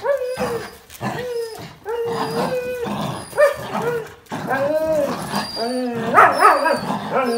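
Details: Dogs, a Jack Russell Terrier and two Border Collies (one black and white, one red and white), tug over a towel. Repeated short harmonic yelping barks, several a second, with a woman talking between them.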